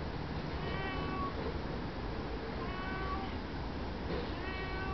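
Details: Cape genets give three harmonic, mewing calls, each under a second, spaced about 1.5 seconds apart, over a constant low hiss.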